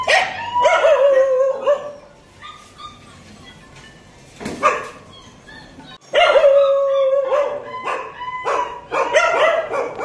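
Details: A 15-day-old Kanni puppy in Coimbatore gives high, wavering whines and yelps in two bursts, with sharp clatters and knocks between them.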